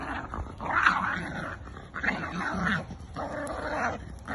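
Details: Growling from a Jack Russell and a Bull Terrier at play in a tug of war game; three long, raspy, throaty growls, each over a second, with brief gaps.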